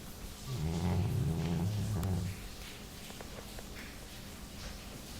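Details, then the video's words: Labrador named Jully snoring in her sleep, a single deep, rattling breath of about two seconds that ends abruptly, followed by near silence with faint clicks. "Labrador roncando."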